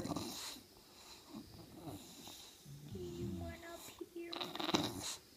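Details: Sophie, a 10-month-old English bulldog indoors, grumbles and whines to ask to get on the couch with her humans; short nasal moans and snorty groans rise and fall, with a brief human voice and rustling.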